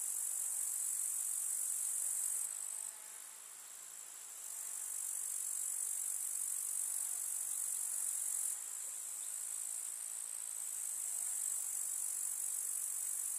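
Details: Countryside summer meadow filled with grasshoppers stridulating, a seamless bright buzzing hiss that softens for a couple of seconds early on and again later, otherwise steady and unbroken without other sounds.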